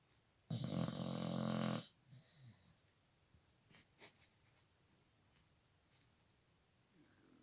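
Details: Pet dog snoring in a small room: one loud, harsh rasping snore of just over a second with a low buzzing rattle and breathy hiss, followed by soft quieter breaths and snuffles.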